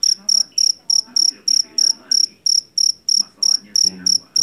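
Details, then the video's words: Steady piercing chirps from a jangkrik jeliteng, the loud-voiced Javanese cricket caught in rice paddies. Pulsed bursts follow one another about three per second, while faint low-pitched murmuring sits in the background. "SUARA JANGKRIK PENGUSIR TIKUS SUARA ASLI"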